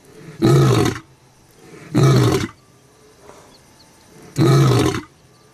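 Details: Lion roaring at Olare Orok: three loud, deep, rough roars, each about half a second long, with pauses of one to two seconds between them and a quiet background.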